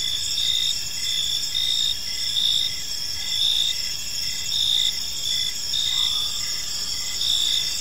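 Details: Park crickets at evening, their chirps forming a tranquil layered chorus: bright sustained high trills plus a softer lower chirp repeating near once per second, steady throughout.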